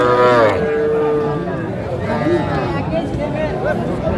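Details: Young Sahiwal cattle, bull and heifer calves for sale at a Gazipur market on 7 January 2025, giving a steady, level moo lasting over a second, then fading into murmuring voices and market bustle.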